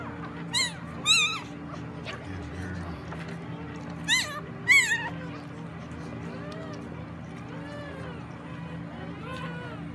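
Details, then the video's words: German Shepherd named Cheza giving birth to puppies: high, wavering whimpers and squeals in short bursts near the start and again around four to five seconds, with a steady low hum beneath and quieter whines later. "German Shepard having puppies"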